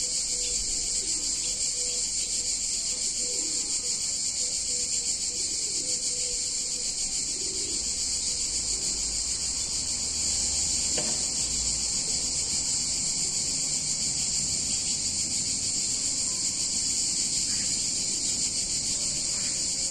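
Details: Cicadas on a warm summer day in a picturesque Italian town keep up a steady, piercing high buzz for the whole stretch, while faint short tonal notes and a brief click sound in the background.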